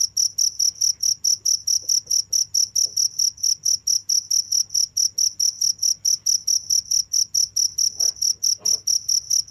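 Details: Cricket chirping steadily without pause, a bright high-pitched pulse repeated about four times per second with an even rhythm; faint low hum underneath and a few soft knocks near the end.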